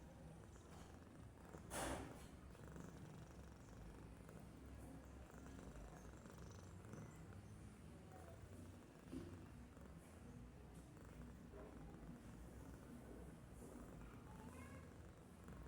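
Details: Babul, a domestic cat, sleeping and doing nothing while snoring: a soft, steady low rumble runs throughout the quiet room, with one brief rustling click early on.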